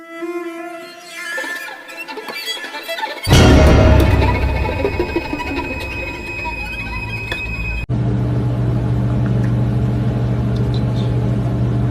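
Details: String music with violin and cello plays throughout, loud and continuous, with no clear animal voice.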